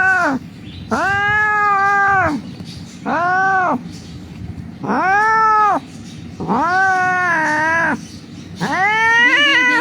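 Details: A hurt cat rescued from the street wails repeatedly as its wound is dressed, loud arched meows about every two seconds, some wavering and longer, against low background noise.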